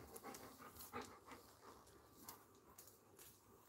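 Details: Labrador retriever named Coco breathing hard indoors: irregular rapid huffs and pants, some closely spaced, others after short pauses, with faint room noise beneath and a person calling for the dog.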